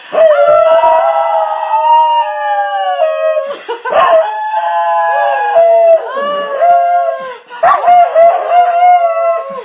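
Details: A Corgi named Chicken howls along as it sings with its owner: three long, drawn-out tonal howls, each held about three seconds, wavering slightly and dipping at the ends, separated by brief breaths.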